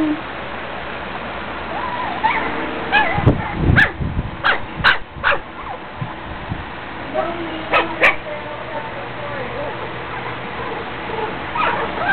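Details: Puppies at play: a scatter of high, thin whimpers and short yips with wavering whines, broken by sharp clicking bangs, with a person talking and a steady background hum.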